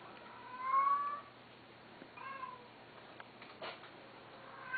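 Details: Abandoned male Domestic Shorthair cat at a shelter, recorded indoors on 12 September 2012: one clear, rising meow early on, then a softer, shorter meow, followed by a brief clatter and a faint start of another call.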